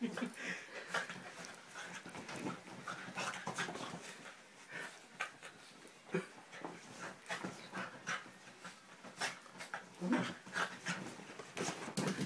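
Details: Millie, a seven-year-old beagle, playing with her owner, panting in quick breathy bursts with scuffling play noises throughout.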